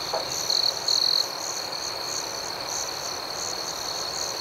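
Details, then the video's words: Outdoor night ambience of crickets: two short loud trills early on, then a constant high-pitched drone with soft rhythmic pulsing chirps layered over it. "Soothing Cricket Sounds"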